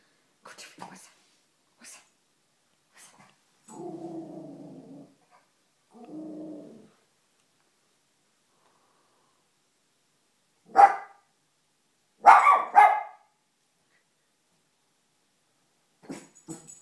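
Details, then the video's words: Pet dog indoors barking at the household fish, something she has never done before; low growling rumbles, then two sharp barks near the end, with quiet household noises between. "Dog barking at fish"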